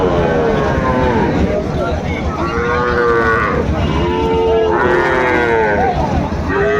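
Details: Sahiwal bull calves at Raniganj cattle market in Bangladesh, moving between several drawn-out, harmonic moos with some rising and falling contours, over a constant crowd murmur and the voices of men haggling nearby.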